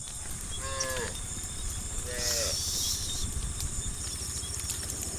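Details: Cows in a herd being driven toward a farm pen. Two short, fairly high moos bend downward at the end, about a second apart, over a steady rumbling hiss of movement and wind.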